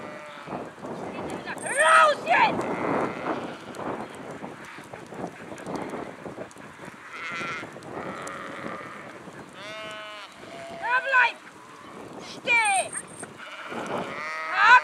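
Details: A flock of sheep bleating: several wavering, harmonic-rich bleats come in scattered bursts near two seconds and again between ten and fifteen seconds, some overlapping, over a low steady background murmur.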